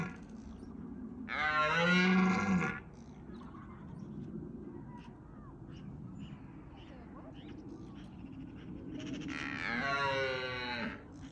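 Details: Red deer stags in Bushy Park during the rutting season roar to deter rivals. Two loud, rough, harmonic-rich roars, each over a second long, come about eight seconds apart over a low rumbling background.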